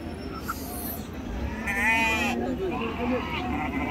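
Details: Sheep at the Pebbair sheep market, with a wavering bleat rising through the middle of the clip amid steady crowd chatter and men bargaining in Telugu, plus background murmur.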